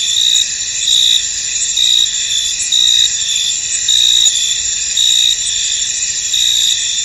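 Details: Fog-shrouded field of crickets: short shrill chirps repeat about every second over a continuous high-pitched insect buzz.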